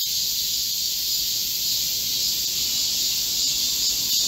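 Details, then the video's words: Korean cicadas chorusing in a summer green forest during a heatwave on 25 July 2024: steady, piercing, sizzling drone with no pauses. "Korean cicadas, a chorus in a midsummer green forest | 한국 매미들의 한여름 초록 숲속의 합창"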